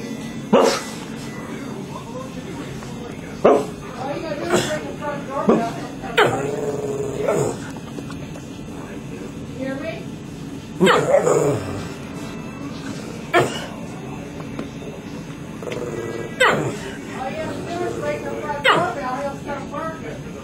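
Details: A dog with an unusual bark, giving short harsh barks and yelping notes spaced one to three seconds apart, with a person's voice and light room noise between them.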